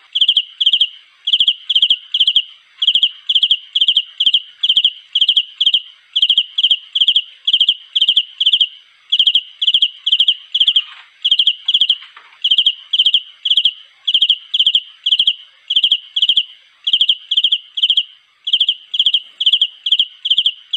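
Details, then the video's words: A cricket calling for a mate chirps steadily in short bursts of high, pure trilled pulses repeated about twice a second. "เสียงจิ้งหรีดร้องหาคู่ (เดอะฮาวน์ รวมเสียงป่า)"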